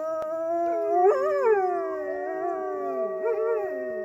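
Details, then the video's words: Several wolves at Polar Park howl together at close range in long, smooth, overlapping tones that waver and slide in pitch. "Just another wolf howling 😍❤"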